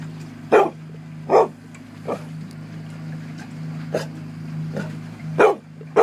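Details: Dog named Dharma barking to drive a sea lion off her Coho salmon at the 2013 salmon derby in Port Alberni; short sharp barks roughly every second over a steady low engine hum.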